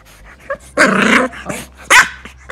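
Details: English bulldog puppy, female, playfully attacking and biting a person's leg at night, thought to be teething; short rough growling bursts and a sharp bark, with a person's pained exclamations between.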